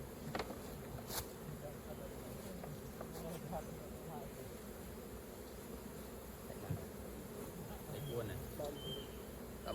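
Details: Honey bees at an open hive during raw honey collecting: a steady, dense low hum of many wings throughout, with scattered faint clicks and taps from handling.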